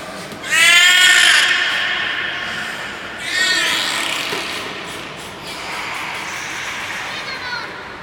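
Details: Nana, a beluga in training at Nagoya Port Aquarium on 18 May 2019, gives loud, wavering, meow-like squeals: one strong burst, a second softer one about three seconds later, then fainter echoing sounds in a reverberant hall.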